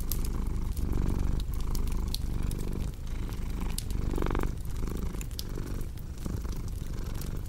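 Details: Cat's low continuous purr paired with a crackling fireplace, rising and falling with each breath roughly every three-quarters of a second. Sharp wood-fire snaps and soft dripping, squishy noises sit on top of the rumble.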